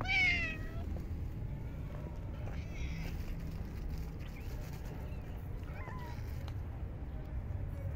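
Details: Stray cats in a park, fed during very cold winter weather; a clear, drawn-out meow opens, falling slightly in pitch, followed by fainter, shorter meows midway and near the end over a constant low rumble of outdoor background noise.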